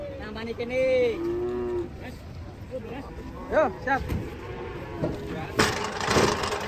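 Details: Cattle being unloaded from a truck in Indonesia; a drawn-out moo bends downward at about one second, with shorter calls and scattered thumps, clatter and voices of onlookers around it.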